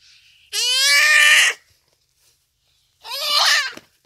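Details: Duiker crying for help as a cheetah makes the kill on a rainy afternoon at Phinda Private Game Reserve; a loud one-second bleat followed by a shorter, rougher, hoarse cry.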